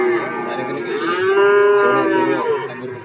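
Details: A single cow moos at Warujayeng cattle market, Nganjuk. The deep, drawn-out bellow holds nearly three seconds, swelling in the middle and tapering off, with only faint background noise.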